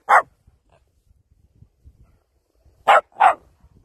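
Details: West Highland White Terrier giving three sharp, high barks: one alone, then a quick pair after a pause of nearly three seconds, with near silence between.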